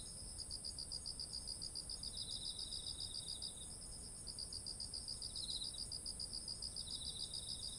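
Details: Autumn insect voices near ripened rice paddies, ZOOM H1essential recording: quick evenly beaded chirps run in long trains with a short pause, over a constant thin high ringing and a softer lower trill.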